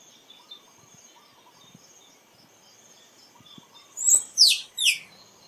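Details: Squirrel call: three shrill, downward-sliding squeaks close together near the end, over a quiet background of faint insect buzzing and soft clicks.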